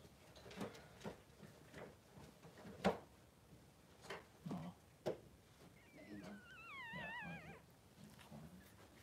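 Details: Two Blenheim Cavalier King Charles Spaniel puppies, three days old, nestle beside their mother Pom-Pom in the newborn pen. Soft bumps and shuffles lead to one long quavering whimper that wobbles up and down in pitch.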